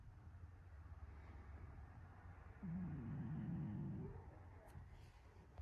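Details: Shiro, a pet cat asleep curled into an ammonite-like ball on a round stool with its back turned, gives one rough, wavering low snore lasting about a second and a half over a steady low background hum.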